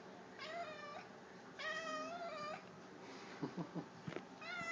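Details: Strange noises from a male pet cat: two long, wavering meow-like cries, each about a second, with a third starting at the end. A few low, thumping voice sounds fall between them.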